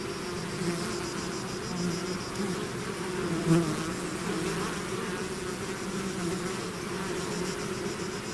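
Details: Bees swarming out of their hive create an unbroken droning buzz, low and layered, with one brief louder pass of a nearby bee midway through.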